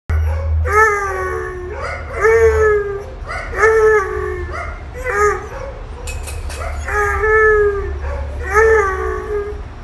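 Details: Goose, a three-year-old Bluetick Coonhound, howls on being reunited with his owner after his time in a North Carolina animal shelter. The howls are mid-pitched and harmonic, each dipping then leveling, and repeat roughly every second and a half amid voices and applause.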